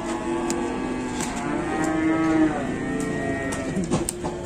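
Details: Fierce cattle in Indonesia making a racket: a sustained, strained moo with layered harmonic tones, rising slightly and then holding steady, with sharp clicks and knocks in the background.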